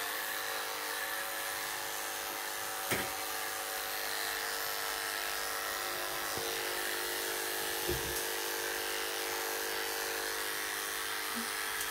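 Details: A steady electric grooming-tool drone fills a small salon room, with a few faint knocks and no animal voice.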